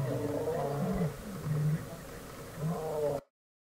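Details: Roaring from a lion pride on a road in Kruger National Park, South Africa, where a rare white lion walked in among them; low, hoarse groans in short swells, cutting off abruptly into silence near the end.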